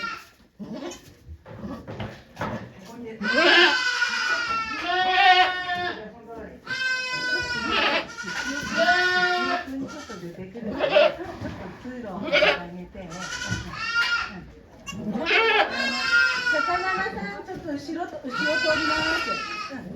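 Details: Birth of two kids to the goat Okayu at Yoshigake farm, 3 May 2023, with volunteers present: a run of repeated, wavering bleats of varying length mixed with people talking nearby.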